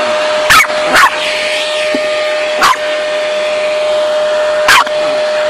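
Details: Chihuahua named Miki barking at a running vacuum cleaner: four short, sharp yaps spread over about five seconds, set against the steady droning hum of the vacuum.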